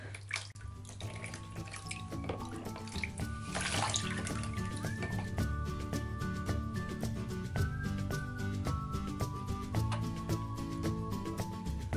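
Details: Steady background music plays over running tap water, dripping and splashing in a small indoor room, with no animal voice heard.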